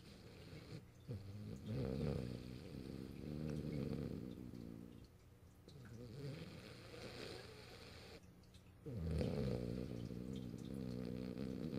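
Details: Morio, a French Bulldog, snoring while sleeping in its owner's arms at a computer, March 8, 2012: loud, rumbling, deep snores in long rhythmic bursts, each followed by a brief quiet inhale.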